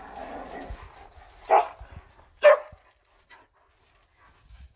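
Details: A pet borzoi and a standard poodle play fighting: two short, harsh, bark-like bursts about a second apart, with soft scuffling thumps and quiet breathing between them.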